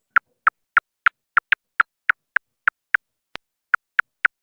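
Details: Silver-haired bat echolocating while flying at night to avoid obstacles and find insects: a steady series of sharp, dry audible clicks, about three per second.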